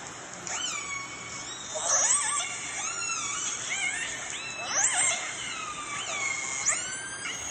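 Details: Recording played at a whale museum in Telegraph Cove: clan A calls of the fish-eating Northern Resident killer whales, three distinct pulsed calls, squealing tones sweeping up and down with sharp high upsweeps every few seconds.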